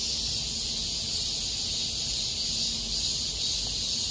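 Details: Park cicadas in August 2021 at Miraesarang Park produce an even, piercing electric drone, unvarying across the whole stretch, with a quiet low-pitched background murmur.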